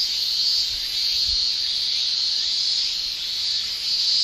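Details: Summer in Japan: male cicadas shrilling through their tymbals, an intense uninterrupted hiss-like buzz rising slightly toward the end, with a couple of soft low knocks early on.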